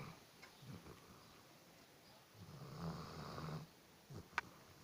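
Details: An Alabai, a Central Asian Shepherd Dog, asleep indoors and snoring loudly: a long rasping low snore swells and fades over about a second and a half, with softer breaths before it and a sharp click near the end.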